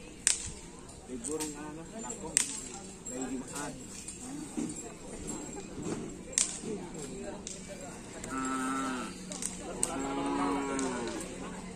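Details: Racing bulls of the Karapan Sapi team Griduh Onggu at training on the Asemanis field, Madura, give two steady, tonal lowing calls near the end, over repeated sharp cracks and busy background noise.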